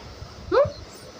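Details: A pregnant house cat, sulking and being coaxed to talk before it is let out, utters one brief arched mew with bright harmonics, heard over low room hum between a woman's words.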